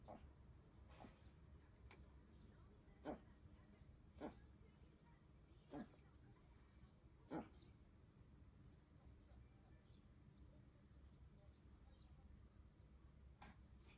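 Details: A Chihuahua snorts in short, breathy nasal bursts while rubbing its nose, a happy snuffling display of joy, often seen after a nap.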